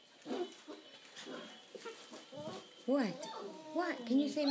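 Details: Six-week-old Bernedoodle puppy Mavis, prompted to say Merry Christmas to her family, answers with a series of arched, yowling whines repeated in quick bursts. A person speaks encouragingly just before.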